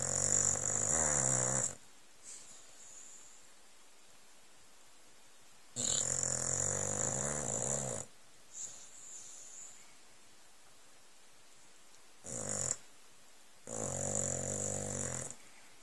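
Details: An old, pampered Staffordshire Bull Terrier sleeping on cushions under a blanket on a settee snores in long, rasping, hissing breaths, with quiet pauses between.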